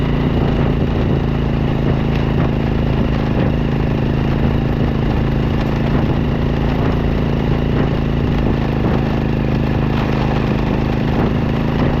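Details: Steady loud engine drone with rattling vibration and no other sounds standing out.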